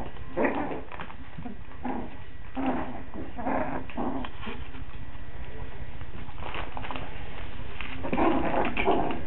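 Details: Five-week-old Coton de Tulear puppies in Orange, Connecticut, whining and yipping repeatedly, short tonal whimpers coming in clusters roughly every second, over a constant low hum.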